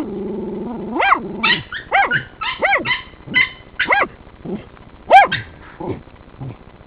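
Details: Working terriers at a sett holding one of three raccoons: a low whining growl opens, then a rapid run of high, sharply arched yelping barks, about eight in six seconds, loud and close.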